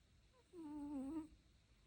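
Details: One nasal, humming snore from a dog, a sustained whistle that dips slightly in pitch and lasts under a second, with layered overtones.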